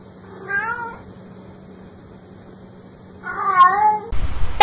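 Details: Domestic cat giving two drawn-out meows, the first short and the second longer and louder with a falling end, separated by about two seconds of quiet; an abrupt cut to a loud broadband noise at the close.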